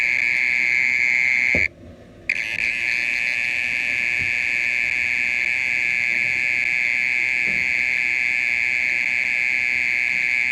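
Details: Mole cricket singing in the night for over thirty minutes: a sustained shrill trill that cuts out briefly just before the second-second mark and then carries on steadily, with faint knocks in the background.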